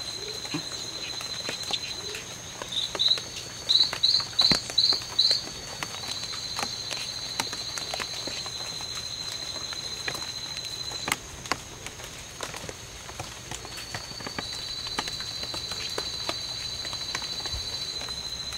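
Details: During a five-hour fight between two male Oophaga pumilio at the C.R.A.R.C. reserve, September 10th, 2012, a burst of about six high chirps sounds, then a faint, steady high trill continues amid scattered clicks and rustling.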